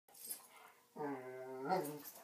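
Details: Sleeping male dog with an itchy back gives a steady, nasal, tonal whine lasting about a second, preceded by soft rustling and breathing.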